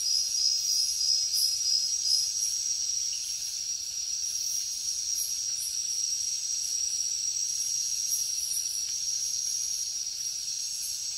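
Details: Crickets calling in a jungle at night, a dense, unbroken shrill trill topped by quick repeated higher chirps, slightly louder in the first two seconds, then even.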